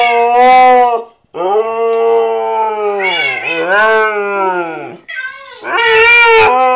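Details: Husky answering Minecraft cat sounds with repeated howls: short wavering cries, a longer howl dipping and rising in pitch, then higher yowling notes at the end.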